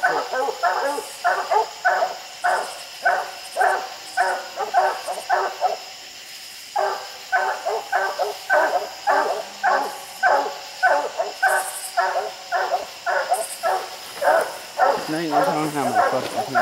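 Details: Dogs barking treed at raccoons up a tree on a steep hillside, six coons counted; a long run of brisk, regular barks, about two per second, pausing briefly midway before resuming, with faint human talk.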